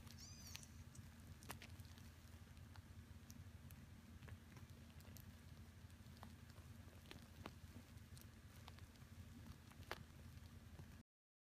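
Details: Senior rescued house cat, quiet and reserved, the second cat taken in by its household in late spring 2015, recorded indoors in January 2023; a continuous low throbbing purr under light clicks, with a short high twitter near the start.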